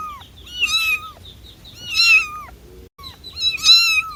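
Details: Three short domestic cat meows spaced about a second and a half apart, each a bright rising-then-falling mew with a faint low hum underneath.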